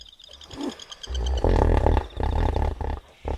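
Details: Wild hippopotamus at night by a river in Kafue National Park, Zambia: loud, deep rumbling grunts in a rough bellowing series, starting after a second of quiet with pulsed insect trilling above.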